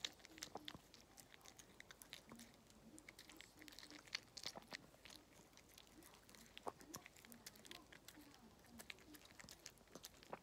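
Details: Walt, a pet dog, munching treats for a chewing-sound ASMR: sharp crackling bites come in uneven bursts, several each second, with a soft steady hum in the background indoors.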